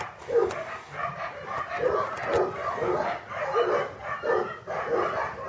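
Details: English Cocker Spaniel puppies born August 2011 at a breeding kennel, whimpering in pulsing bursts about every half second. Faint human voices mix in among the cries.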